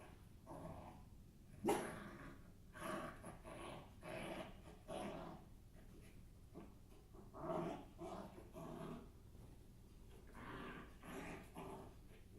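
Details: Pet dog barking and growling in gruff, broadband bursts, about ten spread irregularly over twelve seconds, with panting and breathing between them in a quiet indoor setting.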